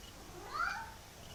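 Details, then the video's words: A kitten's single short, muffled meow rises and falls over about half a second, slightly smeared, in a quiet room. "Our Cat Mickey Makes Hilarious Noises"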